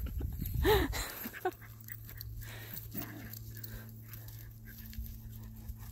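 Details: Smooth Fox Terrier having zoomies: a short whine near the start, arching up and down in pitch over heavy low thumps, then quieter breathy sounds over a steady low mechanical hum.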